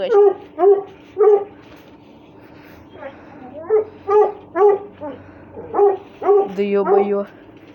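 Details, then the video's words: Play-fighting Russian Hounds give a string of sharp, high yelps, some bunched close together and others spaced apart, plus a short steady whine near the end. "РУССКИЙ ГОНЩИЙ СВИСТ, СКУЛИТ+СОБАКИ ДРАКА ИГРАЮТ"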